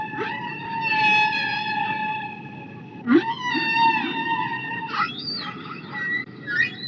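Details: Killer whale calls: long harmonic tonal cries with stacked overtones, gliding and bending in pitch, several upsweeping whistles near the end, over a low steady underwater hiss.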